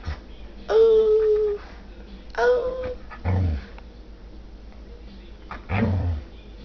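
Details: Labrador-pit bull mix dog 'talking' indoors: two drawn-out high whines, each about a second, steady in pitch and rich in overtones, followed by two short, lower grumbling moans with pauses between.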